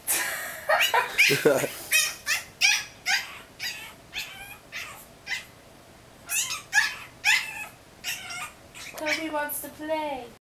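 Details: Yorkie puppy named Jacoby in a playpen, barking at Boots the cat because he wants out to play: a rapid run of high, sharp yips, about two a second, some rising into whiny squeals, ending in a falling whine.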